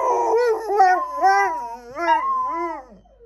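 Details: Pet dogs in a continuous quavering howl, the pitch rocking up and down several times in quick waves before trailing off softly.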